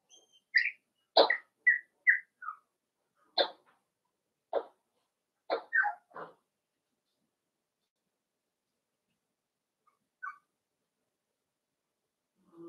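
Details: Cavalier King Charles Spaniel puppies playing together in an indoor home puppy pen: short sharp yips and high thin whines burst out in a quick cluster, then scattered single yelps with long silent gaps.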